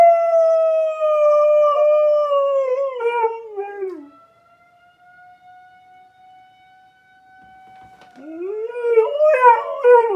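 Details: Leia, a pet dog, howls along with a tornado siren test: a loud, drawn-out harmonic howl sliding downward over four seconds and breaking into wavering notes. The steady siren tone then carries on alone before the dog's quavering howl rises again.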